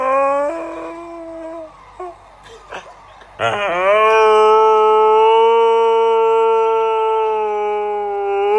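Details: Pet Siberian Husky giving a long, steady howl: after soft whining and a few clicks, a loud howl starts abruptly and holds a level, slightly wavering pitch for about five seconds.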